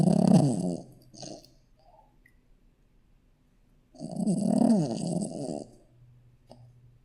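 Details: Shih Tzu puppy asleep indoors, snoring: a loud rasping breath of under a second, a short fainter rumble, then after a pause a longer harsh snore of nearly two seconds, each one a buzzy low drone.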